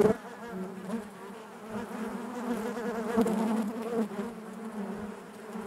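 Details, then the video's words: Inside a honey bee hive: continuous layered humming from many bees, a low fundamental drone with bright harmonics above, fairly even in loudness with small surges. "bees therapy hive natural buzzing sound"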